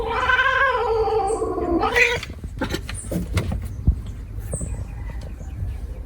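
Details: Cat giving a drawn-out, wavering, nasal meow for about two seconds, slightly falling in pitch, followed by soft thumps and rustling handling noises.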